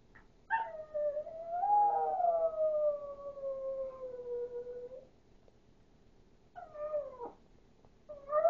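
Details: A Chihuahua gives a wolf-like howl. One long, sustained howl lasts about four and a half seconds, swelling and then slowly falling in pitch. A brief bent howl follows after a pause, and another begins at the very end.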